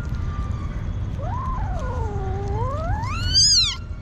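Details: A hungry street kitten gives one long drawn-out meow that starts mid-pitch, sags, then climbs steeply into a shrill, strained peak before cutting off. Low background hum underneath.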